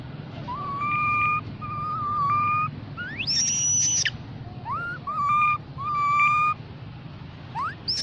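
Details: Baby mona monkey calling to its group: clear, steady whistled notes, each held under a second and often starting with a short upward slide, repeated at uneven intervals, with a higher rising whistle mixed in over a constant low rumble.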